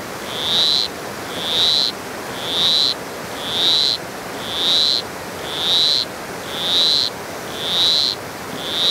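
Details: Granular poison frog, green and red, croaking in the low mountains of Costa Rica's south Pacific side: a clear high tonal chirp, slightly rising, repeated regularly about once a second over steady forest hiss.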